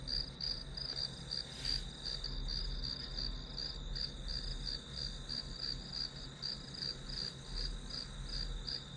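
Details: Grass insects chirping as background sound for a one-hour study session, a high pulsed trill repeating about three times per second over a steady high tone, with low hum beneath and one brief noise burst.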